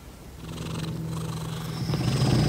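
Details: Daisy, a pet cat, purring: a steady low rumble throughout, growing slightly louder toward the end, with faint higher hiss above.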